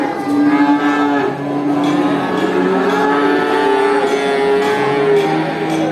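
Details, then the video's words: At a traditional animal market, a herd of cattle gives sustained, layered moos that blend into a continuous droning chorus, pitch sliding slightly upward midway, with a busy murmur of the market behind. "Video of cows at a traditional animal market, they make really funny sounds, moo"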